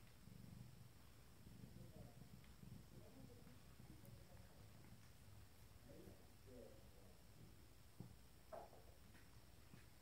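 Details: Abyssinian kitten Mia, 25 days old, from a first litter, purring indoors: a steady, low, rumbling throb runs throughout, with a few faint, brief squeaks near the end.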